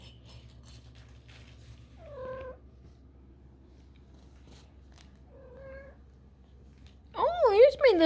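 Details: A 4.5-week-old kitten exploring gives two brief high mews, then a loud, wavering, drawn-out meow at the end, over a quiet low hum.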